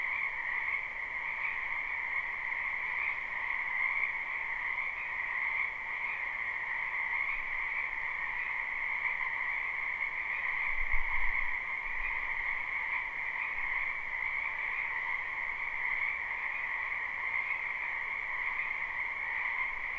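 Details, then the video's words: Frogs croaking in a spring wetland, recorded live. The chorus sounds softer and more distant, a smooth, steady two-toned hum of blended trills over a hiss of background noise, with a short low thump around eleven seconds. "Ambient Noise for Sleep Frogs"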